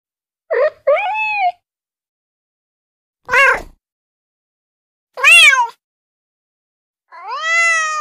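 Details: Domestic kitten, described as female, meowing to attract other cats: four short, separate meows, some rising then falling, others sliding downward, spaced a couple of seconds apart in a quiet setting.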